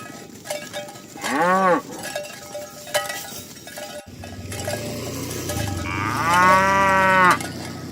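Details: Cows being herded toward the pen on a morning village road; a short arched moo, then a longer, louder moo with bright harmonics, amid clinking cowbells and shuffling hooves.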